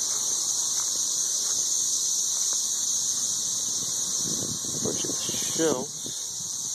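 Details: Many 13-year periodical cicadas in Nashville, Tennessee, calling from the treetops while mating: a steady, piercing high-pitched drone fills the air, and a man's voice speaks briefly near the end.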